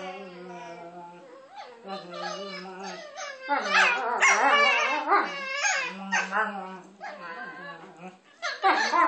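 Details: Two playing dogs trade silly noises, a near-continuous run of howling, whining and grumbling calls with wavering pitch, some steady low moans and some sharper, louder yelping bursts through the middle.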